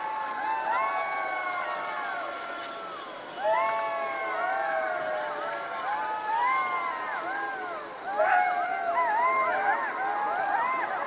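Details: Jackals calling as a group, drawn-out falling wails mixing with bouncing, arched yips; the chorus swells at about three and eight seconds into a busy tangle of cries.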